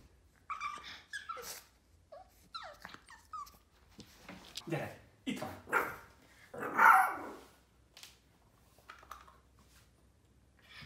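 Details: A 4-month-old Boston Terrier puppy throws a tantrum of whiny yelps, grumbling growls and short barks.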